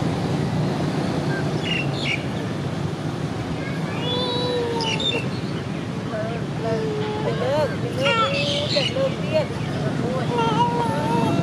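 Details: Baby monkey crying without its mother: a series of tonal, mid-pitched coos that rise, fall and waver, repeated irregularly over steady traffic rumble, with a few faint chirps.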